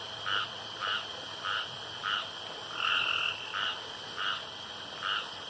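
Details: Single frog near a pond in the dark giving short, evenly spaced nasal croaks about every half second, one longer note midway, against a noticeable steady background hiss.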